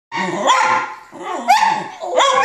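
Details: Several dachshunds howl together in chorus, overlapping wavering voices that swoop upward into sustained tones, swelling in three waves within a few seconds.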